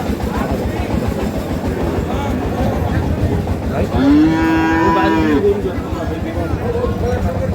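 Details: Sahiwal bull calves for sale at Ambari cattle market, held Fridays and Mondays in Parbatipur, Dinajpur, Bangladesh, on 30 March. A single drawn-out, low moo lasting about a second and a half rises above steady crowd chatter and market bustle.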